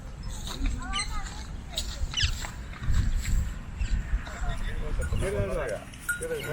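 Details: Goats in a large pen outside a village in Rajasthan, India, rushing through the farm gate as the farmer calls them to feed, with wavering bleats, a man's voice and trampling hooves.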